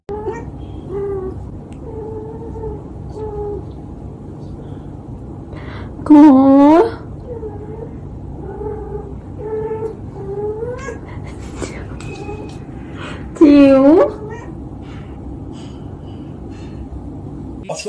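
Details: Cat in a compilation of funny pet moments, giving two loud, drawn-out meows about seven seconds apart, each rising then falling in pitch, over soft steady background music.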